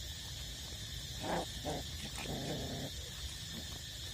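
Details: Eight-week-old puppies still nursing from their mother give a few short, tonal whimpering whines in quick succession over a steady background hiss.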